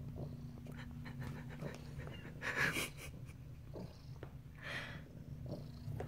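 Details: Sunny, a pet cat exploring her new cat house, gives a low continuous purr broken by a couple of louder breathy rustles or sniffs indoors.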